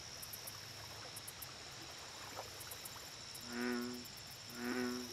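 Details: An American bullfrog at a lake gives two deep, resonant, drawn-out croaks about a second apart, with insects buzzing steadily.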